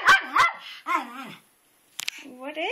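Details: Twitch, a pet dog, barks at a rock in a flower bed outdoors in the rain, as if it were alive. Two sharp barks open the clip, followed by a person's excited talking and a few more short bursts.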